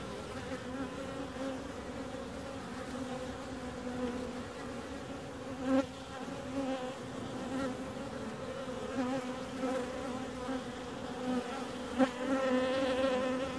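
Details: Bees producing a constant humming buzz, stacked harmonics steady throughout, punctuated by two sharp knocks and a louder, brighter buzz near the end.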